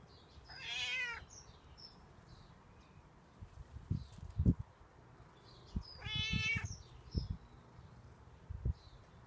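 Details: Stray cat waiting outdoors and asking for milk or food: two clear meows several seconds apart, with low thumping knocks and handling noises between and after them.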